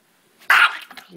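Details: Mr. P, a pet Chihuahua hiding under a shirt and guarding his bone, lets out a single sharp, snapping bark lasting about a quarter second in a small indoor room, followed by faint rustling and a person's voice.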